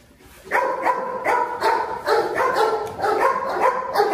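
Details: Lame Presa Canario, the dominant 'dog king', barking in a steady series of about eight deep, resonant barks, each roughly half a second apart, with a faint high hum underneath.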